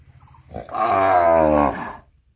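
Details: A cow in a quite beautiful village calls while the herd runs, afraid to be alone. There is a single full, throaty moo of about a second, with a slight rise and then a fading tail.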